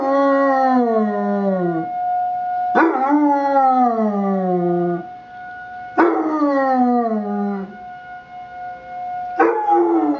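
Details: Puppy Basset Hound Alvin howls with a weekly emergency siren test. Loud, mournful howls sweep downward and repeat about every three seconds, each starting with a sharp onset, with the steady siren tones continuing underneath.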